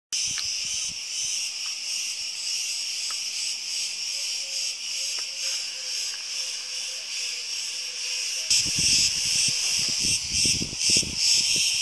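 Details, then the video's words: Cicadas in Crete on a hot summer day, a dense, continuous high buzzing chorus with rhythmic pulsing about two to three times a second; from about eight seconds low thumping and handling noise joins in. "CICADAS IN CRETE - ΤΖΙΤΖΙΚΙΑ ΣΤΗΝ ΚΡΗΤΗ"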